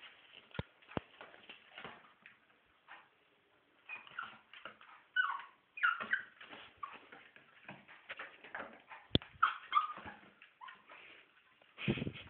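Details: A happy Chihuahua puppy makes a run of soft, squeaky whimpers and little yelps, broken by sharp tapping clicks and rustling.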